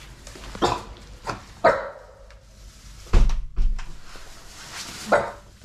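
A basenji gives a few short, sharp barks at a stranger, with a person talking nearby.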